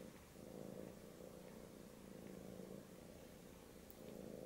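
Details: British Shorthair kitten trying to get milk from a Siamese male cat, indoors with pets; a soft, continuous low rumbling purr runs through the whole stretch, steady and quiet, with slight swells in loudness.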